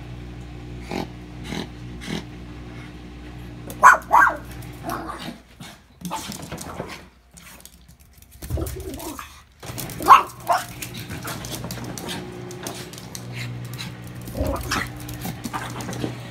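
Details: Lucy the pet dog confronts the washing machine, as she does every day. Loud barks come in pairs, around the fourth and tenth seconds, with a low growl between them, mechanical clatter, and a constant droning hum.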